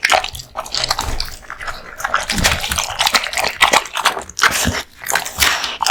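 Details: Male American Bully Kotetsu crunching raw bones and meat at lunch, steady grinding bites with wet smacking and low thuds, chewing continuous through the clip.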